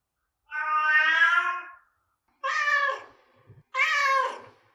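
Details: Domestic cat meows to attract cats: one long steady meow followed by two shorter, slightly rough meows, against silence.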